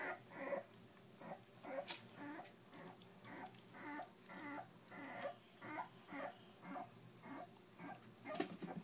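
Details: Three-week-old puppies from the Jack x Puzzle litter whimpering: short, whiny harmonic cries repeated about twice a second, uneven in spacing and loudness, over a low steady background hum.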